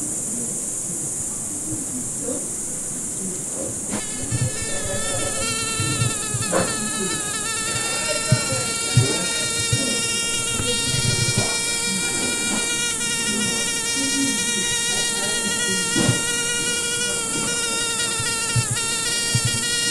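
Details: Steady buzzing of a fly, starting after a few seconds of faint background and then droning continuously with slight pitch drift, soft clicks and a constant high hiss behind.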